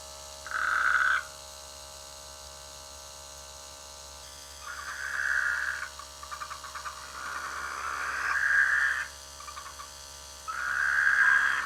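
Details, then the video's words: Rainy-season frogs calling from rice fields by a village; four long buzzing croaks spread across the stretch, some overlapping fainter pulsed calls from other frogs between them. "The sweet sound of frogs in the rainy season"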